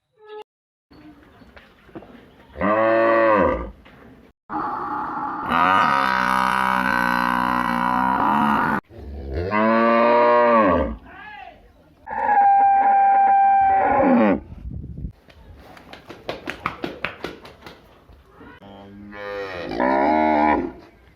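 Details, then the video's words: Village cattle, cows and buffalo: a series of long, loud, harmonic moos, each lasting one to four seconds with a strained, bellowing tone, separated by brief pauses, with some rustling and clattering between calls. "Village buffalo and cow animal video"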